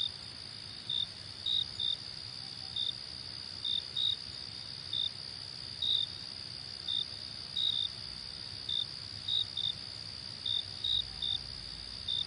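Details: Cricket chirps, brief and high-pitched, repeated in loose pairs and singles roughly every half second to second, set against a steady shrill background drone of insects.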